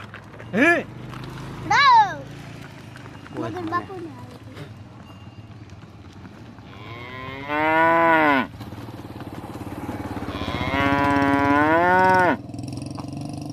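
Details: Buffalo calling amid engine rumble. Short, sharp, rising bleats come first, then two longer, wavering moos of about one and two seconds.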